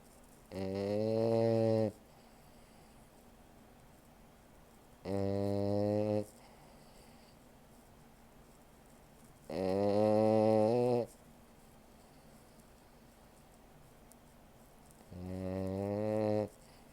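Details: A French Bulldog snores in sleep with deep, rattling, tonal breaths that come about every four to five seconds.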